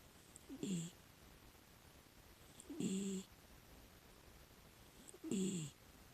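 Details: A six-year-old female rescued Miniature Dachshund snores softly while asleep, a low rasping breath repeated about every two and a half seconds.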